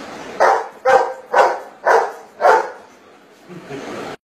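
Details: Maths-solving Golden Retriever barks five times, each bark short and punchy about half a second apart, answering 9 minus 4. A soft low sound trails off after the last bark.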